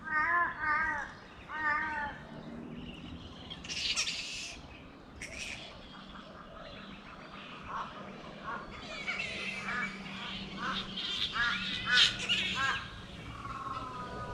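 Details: Bats in a Brisbane park forest, Australia, seen overhead and described as massive: a few nasal harmonic calls open, then loud rasping screeches and squabbling bursts that rise and fall, with overlapping chatter from many animals.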